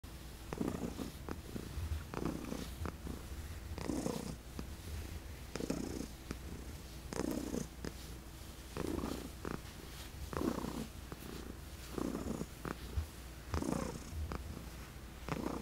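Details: Senior adopted female cat, formerly a shelter resident, purring steadily indoors while receiving chin rubs; low rumbling purr swells in soft breathy pulses roughly every one and a half seconds, with faint rubbing noises.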